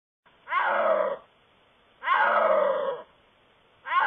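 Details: A snow leopard calling in the wild gives loud, harmonic moaning calls that slide downward, repeated about every one and a half seconds.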